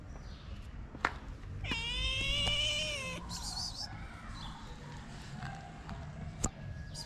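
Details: Shy but hungry abandoned cat, one of two sisters, in Morocco, giving a drawn-out harmonic meow that rises slightly then falls over about a second and a half, followed by a fainter meow, with background rumble and a few clicks.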